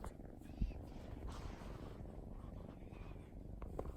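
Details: Soft rhythmic purring from Wasabi, a young female mixed-breed cat napping on her beloved sofa one holiday afternoon; the deep, even rumble runs continuously, broken by a brief tap near the start.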